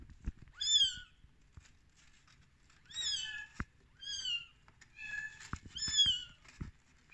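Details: Thirteen-day-old rescued kittens calling with a run of high, bent meows, about six in quick succession, some overlapping, with faint clicks and bumps from a small indoor space.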